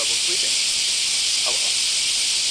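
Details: Semi, Japanese cicadas, in summer in Kansai, Japan, many calling at once outdoors; an unbroken, loud, high hissing drone with a faint voice underneath.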